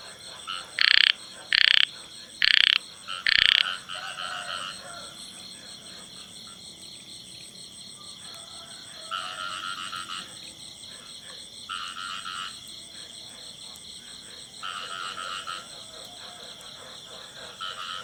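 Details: Singing male frog in a field: four loud, sharp croaks spaced under a second apart, then quieter drawn-out croaking phrases recurring every few seconds against a constant shrill insect buzz.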